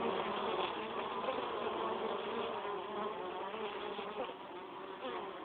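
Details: Many honey bees bringing pollen into the hive make a constant layered buzz, a thick low hum with shifting wingbeat pitches and no breaks.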